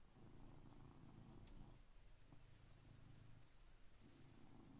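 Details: Blue British Shorthair cat purring at 6am while waking its owner, as it does every day; a soft, steady low rumble with slight pulsing, quiet indoor room.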